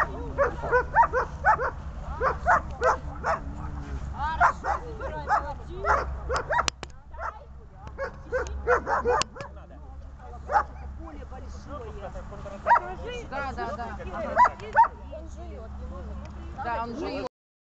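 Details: Dobermann being trained to bark, producing clusters of short barks and yelps, dense in the first ten seconds, then sparser single barks, over a steady low hum.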